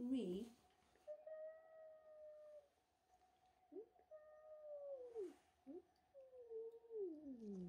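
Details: George, a pet cat angry at newcomer kitten Milo for stealing his tuna, utters a series of long moaning yowls, each held level then dropping, separated by short gaps and soft rustles in a small room.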